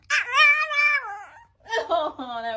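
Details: Pet dachshund, also called a sausage dog, gives two drawn-out tonal howling whines: the first about a second long and slowly falling, the second lower and wavering. A woman's affectionate praise is heard around it.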